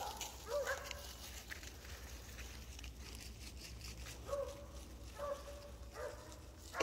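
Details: A pet cat, on January 18, 2023, meowing in a way that made its owner think something was wrong: four short, faint meows spread over several seconds, with quiet background hum.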